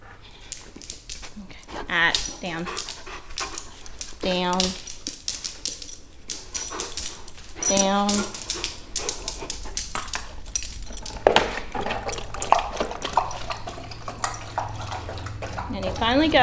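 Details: Hungry male blue Weimaraner foster rescue dog, unable to wait for his soaked dog food at meal time, gives drawn-out, wavering whines and moans, some rising and falling, mixed with a person talking and kitchen clatter.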